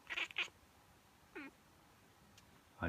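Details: Miez, a female pet cat with a habitual strange reaction to sneezes, real or pretended: two quick noisy bursts, then a short curved chirping meow, with quiet room background.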